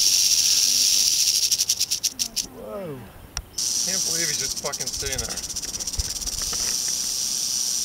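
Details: Western rattlesnake on a trail in Andrew Molera State Park near Big Sur, California, August 15, 2010: loud high buzz that stutters and stops while a person speaks, then resumes as a rapid, pulsing rattle.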